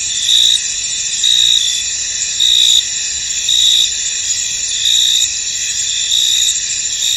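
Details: Crickets in a misty, foggy field: a steady high-pitched shimmering chorus, with louder chirping bursts about once a second.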